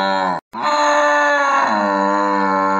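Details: Cow (bò) mooing: one long, steady, low moo lasting almost three seconds, broken by a short silent gap near the start, then holding an even pitch to the end.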